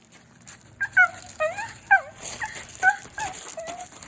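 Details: West Highland white terrier dog greeting its owner: a burst of high, tonal whining yelps that bend up and down, about six cries in four seconds, over a quiet background with faint rattling.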